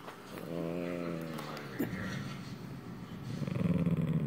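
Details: Italian Greyhound. An Italian Greyhound snores in its sleep. A brief droning, buzzy tone gives way to rough, rumbling breaths that flutter rapidly toward the end.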